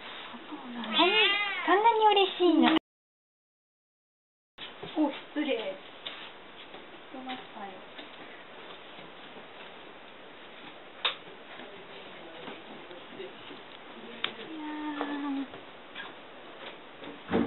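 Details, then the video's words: Domestic cat eagerly welcoming a visitor at the entrance, tail moving, very affectionate; a long rising-and-falling meow, then shorter mews mixed with Japanese speech from people nearby. "お客さんを大歓迎する猫 Cat welcomes a visitor."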